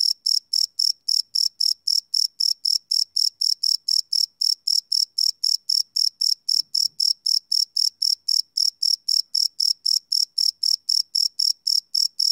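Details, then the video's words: Cricket chirping at night, recorded live with a field recorder: steady high-pitched pulses repeating about four times per second, evenly spaced and unchanging, with no other sounds present. "Cricket Chirp Sound - Cricket Sounds at Night"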